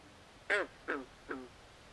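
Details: Three quick nasal, duck-like croaks from swamp frogs at night, each fading a little in loudness, spaced under half a second apart against a quiet background.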